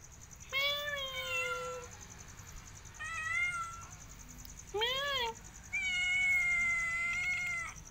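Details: ['Cat meowing four times in eight seconds: a long flat meow, a shorter one, a brief arched meow that rises and falls, and a final extended, steady meow, with quiet pauses between each.']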